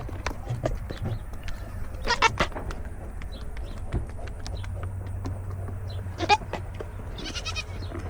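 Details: Foxy, a Nigerian Dwarf dairy goat and the newest member of the herd, throws a fit, recorded from a goat-mounted camera; short harsh bleating bursts come near two and six seconds over a steady low rumble, with chewing-like clicks between.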